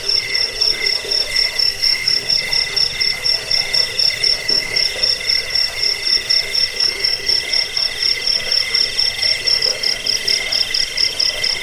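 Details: Cricket chirping, called jangkik, in a recording meant to chase away rats, bring sleep and train cage birds. Bright pulsed chirps repeat roughly twice per second in a regular, rhythmic, very high-pitched chorus.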